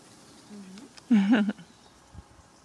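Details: Melanistic Bengal kitten indoors, giving one short, low mew with rich stacked harmonics, under half a second long. A fainter, briefer mew comes just before it. Otherwise only quiet room tone.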